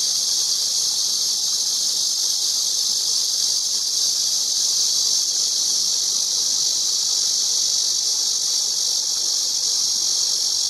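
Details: Shrill, steady cicada buzz, a dense sizzling hiss running for over ten seconds without pauses or changes in pitch, loud and even throughout.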